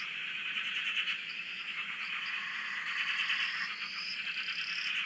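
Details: Australian dam frog chorus captured from a shack: many overlapping frogs producing steady buzzy, pulsing croaks, while high rising whistles sound several times in succession over the din.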